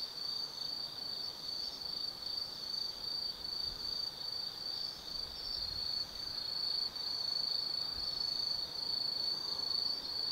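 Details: Night chorus of autumn forest insects at Tsukimi no Mori above the Nobi Plain in Gifu Prefecture, Japan: continuous shrill trilling held at one high pitch, swelling slightly in loudness toward the end.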